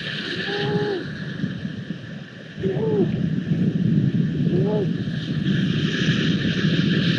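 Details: Grey seal pup calling for its mother and milk, 14 February 2020: three short arched wails, rising then falling, spaced about two seconds apart over a constant low rumble.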